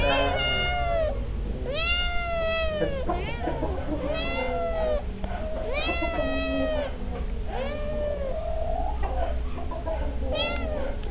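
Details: Two stray kittens begging for treats, meowing in anticipation of food: repeated clear, drawn-out meows that arch up then fall, several overlapping, coming every second or two over steady low background hum.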